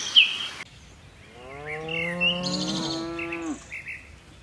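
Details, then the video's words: Tame cattle descending a hillside on a mountain slope. One long, low, level moo lasting about two seconds, with faint bird notes above and quiet surroundings. "Suara lucu sapi moo"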